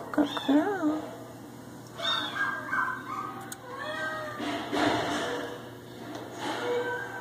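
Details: Female Domestic Shorthair cat awaiting adoption indoors, uttering a string of short wavering meows, some rising then falling, alongside overlapping human speech and room noise.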